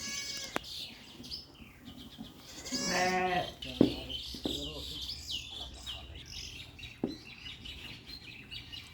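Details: Sheep returning home from pasture at Chitrapuri Agro farm: one loud, wavering bleat with rich harmonics about three seconds in, amid background clatter, soft human voices and steady high-pitched chirping of small birds.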